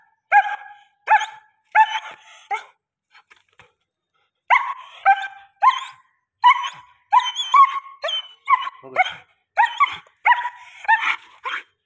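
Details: German Shepherd billed as the world's biggest and fully aggressive, giving loud steady barks in a fast series, breaking off briefly around three seconds before resuming with a dense run of harsh, evenly spaced barks.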